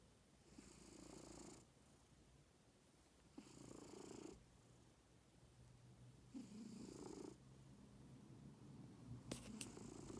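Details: A domestic cat snoring in its sleep: steady, rasping breaths with a low droning rumble repeat roughly every three seconds, each about a second long, over a quiet indoor background.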